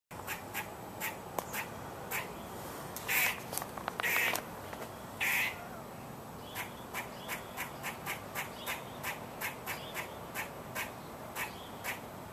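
A squirrel gives harsh, quacking calls over a steady run of short, clicking barks.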